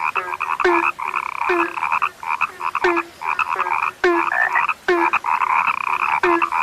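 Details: Frogs, named as a scarce species, in full chorus; pulsed croaks run in quick bursts while lower, falling notes repeat roughly every second underneath.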